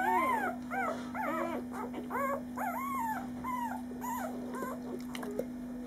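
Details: Newborn male puppy, five days old, squeaks while being tickled: a rapid series of arched, rising-then-falling whimpers, several per second, fading toward the end over a steady background hum.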